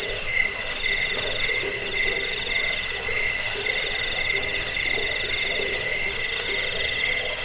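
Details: Cricket chirps for rat repelling, sleep and songbird training; a shrill high trill broken into regular bursts about four times per second, steady and rhythmic over a faint background chorus.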